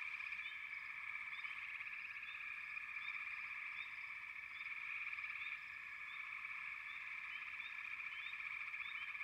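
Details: Frogs trilling together in a thick, even, rapidly pulsed chorus, with quick upward chirps recurring every second or so.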